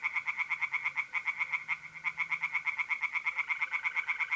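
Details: Rapid, unbroken series of bright, rasping croaks from tree frogs in a pond on a mid-April night in North-East Italy, with a steady high mole cricket trill running beneath the chorus.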